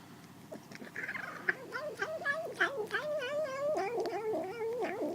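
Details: Kitten eating and uttering a continuous warbling, growl-like moan that wobbles rapidly in pitch and slowly grows louder and higher, over soft chewing clicks.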